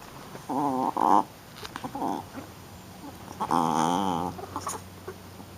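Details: Rough-playing female Shih Tzu puppy produces two bursts of wavering, whiny growls, the second long and quavering, with softer grunts and scuffles between them.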